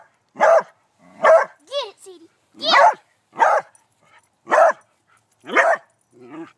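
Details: Beagle working up the courage to catch a praying mantis, giving a run of seven short, sharp barks spaced about a second apart, with a person's voice urging it on between them.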